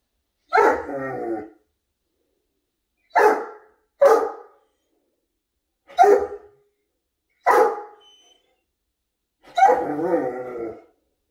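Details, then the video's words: Great Dane in a morning conversation with its owner: six short, harmonic woo-like vocal bursts, each under a second, spaced two to three seconds apart with a close pair near the middle, in an otherwise quiet room. "Great Dane Love Morning Conversation"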